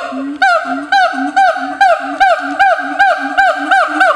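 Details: Siamang at Chiba Zoological Park, Japan, recorded 15 July 2013, calling in a loud series of booming, honking hoots with rising-falling swoops, about ten calls in four seconds, rhythmic and regular, nothing else audible.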